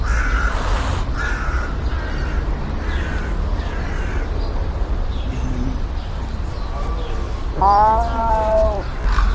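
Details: Sand cat out in nature giving a single brief, rich-toned arched cry near the end, after quieter faint sounds, under a continuous low wind rumble.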